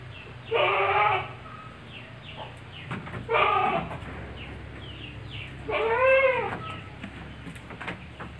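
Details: Goats in a farm pen at Ngrambingan village, Panggul, Trenggalek, where four goats are kept: three large pregnant does and one young future buck. Three loud, wavering bleats, roughly every two and a half seconds, over a steady low hum.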